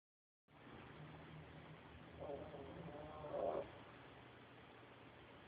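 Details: Shadow, a pet dog, snoring like a pig: one rough, raspy snore swelling over about a second and a half, ending in a louder grunting peak, against a quiet room hiss.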